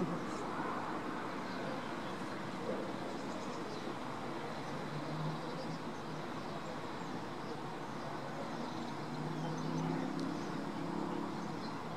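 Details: Steady rumble of traffic and passing vehicles with no clear animal voice.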